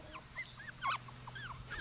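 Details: Cockapoo puppies, seven of them playing together outdoors, give soft, brief whimpers and little rising-falling whines scattered through a short, quiet stretch, with a faint steady low hum beneath.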